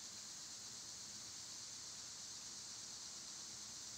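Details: Summer cicada chorus, the insects loud this season and filmed on a quieter day, making a continuous hissing high-pitched buzz that stays even and unbroken with no pauses.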